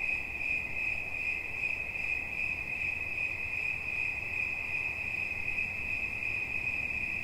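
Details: A single cricket sings a continuous high-pitched chirping trill, quick pulses running together at an unchanging pitch, shimmering and steady, with only a quiet low murmur of ambient noise beneath it.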